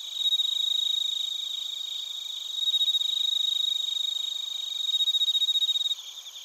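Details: Crickets, including bell crickets, in Narita, Chiba, Japan, recorded on a TASCAM Portacapture X8: a loud, rapid pulsed ringing of several insects about three to four beats a second, rising and falling in waves, one voice stopping near the end.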